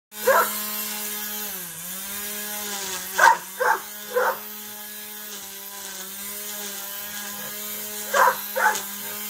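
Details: Labrador Retriever at play, giving short, sharp barks: one single, then a quick run of three around the middle, and a closing pair near the end, over a steady low electrical hum.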